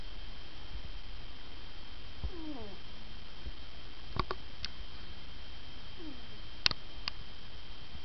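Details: Asleep ferret snoring with soft downward-sliding whistled breaths, two heard about four seconds apart, plus a few sharp clicks and a low steady hum.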